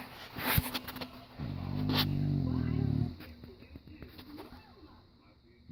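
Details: Sleeping English Bulldog in diapers, snoring loudly: a single deep, rumbling snore lasting about a second and a half, framed by quiet breathing and a few sharp clicks.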